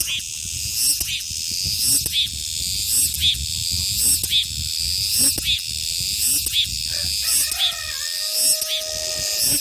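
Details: Cicadas in summer keep up a loud high sizzling drone pulsing roughly every second; near the end a few clear, steady whistled tones from another source cut in briefly.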